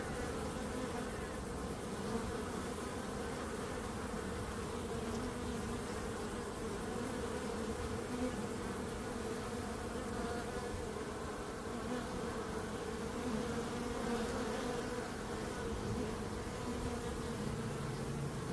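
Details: Many bees buzzing together in a constant, even drone that holds a low hum with a brighter overtone above it, no pauses or other sounds throughout.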